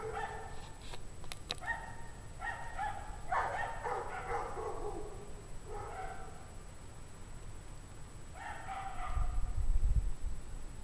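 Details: Pack of unhappy dogs barking in freezing 17-degree Fahrenheit weather, January 9, 2009, at 5 PM; clusters of sharp harmonic barks and yips come in uneven bursts, some overlapping, over constant low-frequency rumble, a louder thump near the end.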